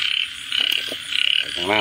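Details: Two or three quick, pulsed frog croaks, buzzy and trilling, spaced by short gaps, followed at the end by a lower, drawn-out tonal sound over a soft background hum.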